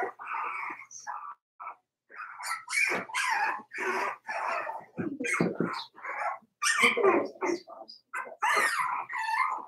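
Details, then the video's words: Four-week-old Cavalier King Charles Spaniel puppies of Daisy's litter in their puppy pen, giving a busy run of short squeaky whimpers and yips that overlap almost without pause, some rising sharply, over nearly ten seconds. "Daisy's Cavalier Puppies Livestream: 4 weeks old"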